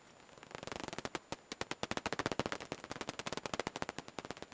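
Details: Daubenton's bats flying out of their roost on 12 June 2021; dense, rapid trains of sharp clicks fire in quick bursts, speeding into a fast rattle like a machine gun, then easing slightly toward the end.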